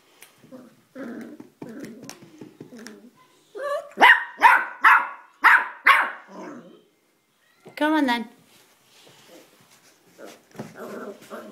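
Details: Elvis, a pet dog stuck at the top of indoor stairs, able to climb up but unable or unwilling to come down, gives a burst of five loud, sharp barks in quick succession while a person repeatedly coaxes him and music plays faintly.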